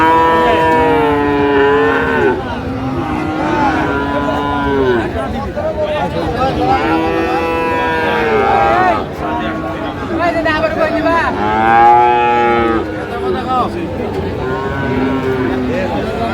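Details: Friesian and crossbred bull calves traded at Raniganj market, Dinajpur, Bangladesh, on 15 January 2025. Repeated overlapping moos, some rising and falling, sound throughout among market chatter and background noise.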